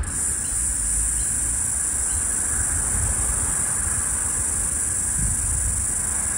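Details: Last floury baker cicada of Australia's 2022/2023 summer calling beside a busy street, trying to sync with another cicada: an unbroken, piercing high buzz runs throughout over a constant low rumble of traffic.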